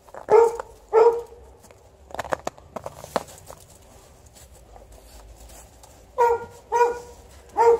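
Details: Playing outside alongside a Golden Retriever and not coming in, an Alaskan Malamute gives two deep barks, then a quiet stretch of clicks and rustling, then three more barks in quick succession.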